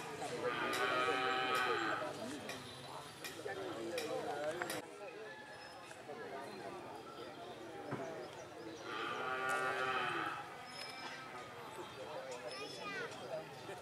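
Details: Two drawn-out, harmonic-rich moos from cattle at karapan sapi bull race training in Banyubunih, Bangkalan, Madura, East Java, Indonesia, for the Galis and Blega districts. The calls come about eight seconds apart, with people talking and crowd chatter between them.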